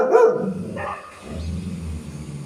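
A golden retriever gives a loud, full-throated bark, then a shorter, higher second bark.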